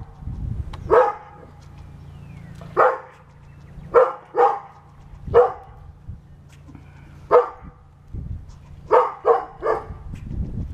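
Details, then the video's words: Pet dog barking back at an angry squirrel, about eleven abrupt barks, mostly single with some close doubles and a quick triple near the end, irregularly spaced above a low electrical hum. "Dog Arguing With A Squirrel"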